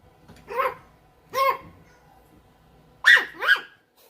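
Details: Puppy barking indoors: four short, high, harmonic yelps, each rising then falling in pitch, two spaced about a second apart, then a quick pair near the end, with quiet pauses between.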